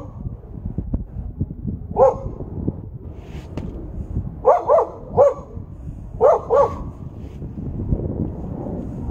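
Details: Siberian Husky giving short sharp yelping barks, one near two seconds then a cluster of four or five in quick pairs, over a steady rumbling background noise.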